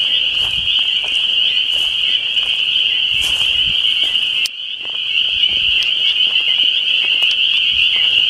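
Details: A dense chorus of what are believed to be spring peepers at a lake in the Westhampton Dwarf Pine Barrens, Long Island, on a Tuesday: countless high, piping peeps merge into one steady, ringing drone.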